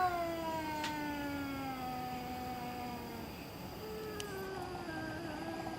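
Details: Domestic cat making eerie noises in the middle of the night: a long, drawn-out wailing yowl that slowly falls in pitch, rich in harmonics, then a second wavering cry begins, over steady background hiss.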